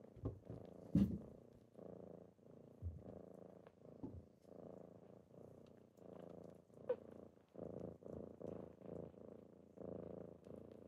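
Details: Kittens waking their owner in the morning, purring steadily; low pulsing purr in regular breathing cycles about every second, with a few soft clicks and taps early on.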